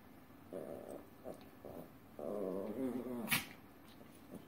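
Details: Two Chihuahuas dancing indoors; several short harmonic whine-growls, then a longer warbling growl near the middle, with a sharp click or tap just after.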